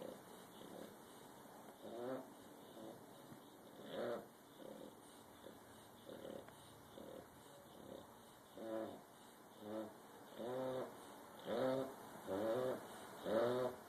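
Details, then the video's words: A bulldog snores unevenly. Soft, breathy snorts give way to louder, voiced rattling snores that come about once a second and grow stronger toward the end. "Bulldog snoring"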